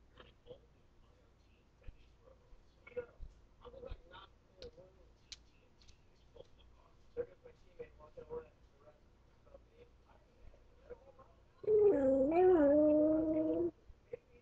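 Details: Male pet dog howling when it thinks it is alone: after soft clicks and taps, one loud, steady, tonal howl lasting about two seconds, wavering slightly in pitch midway before it stops.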